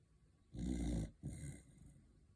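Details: A tiger corgi snores in two deep, rumbling breaths, the second slightly shorter and softer.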